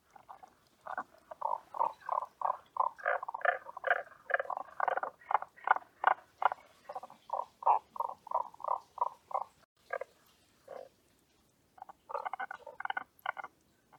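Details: Tago's brown frog calling: long runs of short, low grunting pulses, several per second, sometimes overlapping, broken by brief pauses and then starting again.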